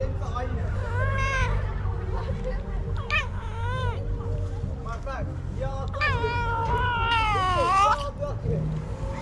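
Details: Stray cat vocalizing when touched: a series of short rising-and-falling meows, some drawn out into a wavering cry, with low rumbling background noise and possible voices.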